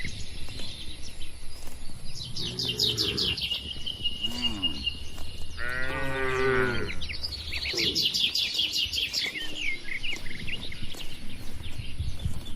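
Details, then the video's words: Inside a livestock barn, cattle give a series of short, rough moos and then one strong, sustained low bellow lasting nearly two seconds. Busy high-pitched bird chirping carries on in the background. "Suara Sapi Lembu Lucu di Kandang Peternakan | Moo Moo Menggemaskan"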